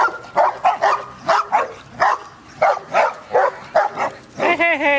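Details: Dog at a dog park barks repeatedly in quick succession, roughly two barks a second, ending with a higher whining yelp.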